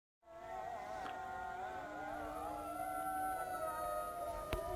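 Several jackals wail together in overlapping, wavering high howls that slide up and down.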